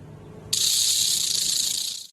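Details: Snake giving a sudden sharp hiss that starts abruptly after a brief quiet moment, holds steady and breathy for about a second and a half, then cuts off.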